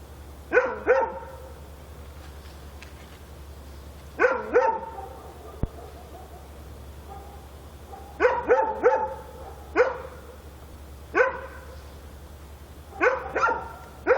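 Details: Dog barking at night in Korea: sharp barks in clusters of two to four, with bursts roughly every four seconds and quiet gaps between, over a steady low hum.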